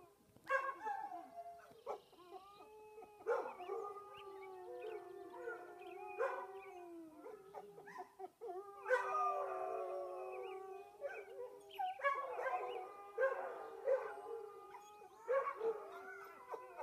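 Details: Reservation dogs howl at sunrise in the early morning on May 6, in long, wavering bouts, the drawn-out tones overlapping and sliding up and down.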